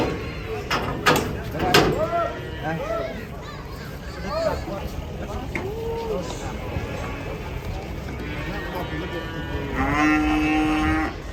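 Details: During unloading from a truck, cattle give short bellows amid men talking and shouting, ending in a strong, sustained, even-pitched moo.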